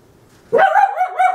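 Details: Corgi puppy barking indoors, upset at toilet paper on the floor because he hates disorder: one loud, harmonic bark rising sharply then wavering into a yelping tail, with quiet room sounds before it.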